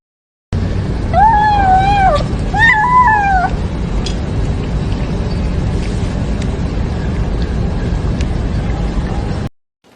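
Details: Cat gives two loud, drawn-out, wavering yowls within the first few seconds, each rising then falling in pitch. Steady low rumbling background noise continues after the calls fade.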